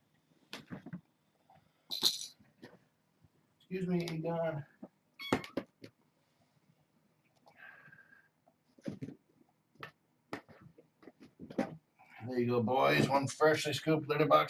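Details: Kittens at evening play time indoors, wrestling and playing games; short meows come in brief bursts between stretches of human speech, with handling noises in a small room.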